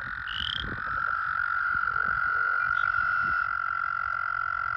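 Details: In a toad-filled breeding pool during breeding season, an American toad gives a long, unbroken buzzy trill at a steady pitch, with a single rising high peep at the start and faint low rumbling.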